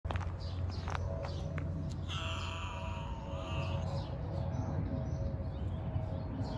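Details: Young homeless street cats being fed outdoors; one drawn-out harmonic meow lasting close to two seconds rises out of a steady low rumble partway through, with a few faint high chirps around it.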